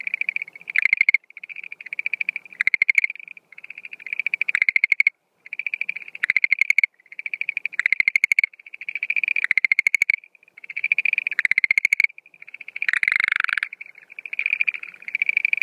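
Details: Schlegel's green tree frog calling loudly at night early in the breeding season, April 2013, with no female present: steady sequence of crisp pulsed rattles, each train about a second long, repeated almost continuously.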